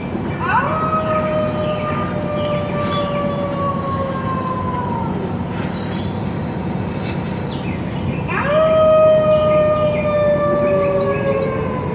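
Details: A Beagle in a big truck barks and howls at dogs heard on the radio, giving long, drawn-out howls that sag slowly in pitch over a steady engine rumble.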